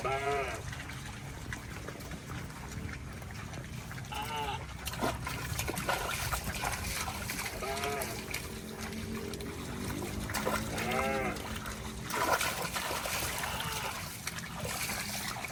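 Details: Cattle walking through water in rice fields, giving arched, harmonic moos at irregular intervals over a constant hiss of moving water and background noise.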